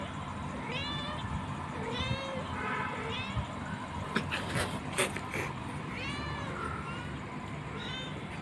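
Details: Cats meowing several times, each call a rising then falling wavering cry with clear harmonics, spaced a second or two apart; low background rumble and a few sharp knocks near the middle.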